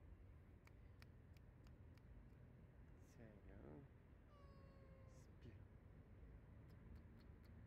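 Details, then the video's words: Stray cat outdoors giving drawn-out meows: a wavering, throaty call followed by a clearer, steady-pitched mew that slides slightly downward, over a constant low traffic rumble with sharp clicks and a voice nearby. "Cute stray cat"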